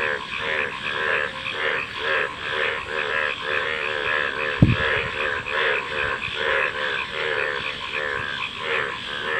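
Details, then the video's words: Chorus of frogs giving rhythmic, bubbling croaks in steady overlapping pulses, with one sharp click near the middle cutting through the calling. "Frog Calls | ব্যাঙের ডাক"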